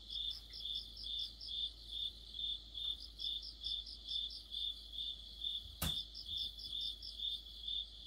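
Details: Crickets chirp in a high, ringing chorus on a mid-autumn night near a streetlight, their pulses repeating about twice a second.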